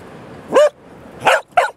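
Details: Cardigan Welsh Corgi, two years old, male, barking on the beach at Terschelling in the Netherlands in July 2011. Three short, harsh barks: a single one, a pause, then two close together.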